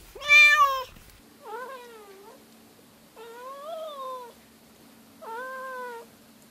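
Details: Household cat, one of three with subtly different meows, calling four times: a loud bright first meow, then three softer arched meows spaced about two seconds apart, over a low steady hum.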